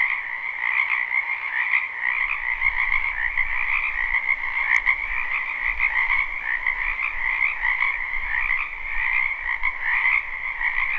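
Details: Many frogs croaking in a wetland during spring form a steady high trilling chorus over a lower band, with soft low rumbling noise underneath and a brief sharp click near the middle.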